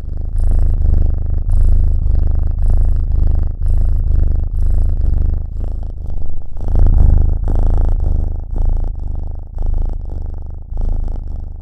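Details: A black cat, or possibly a newly adopted foster kitten, purrs steadily, a low rumbling vibration pulsing with each breath in and out.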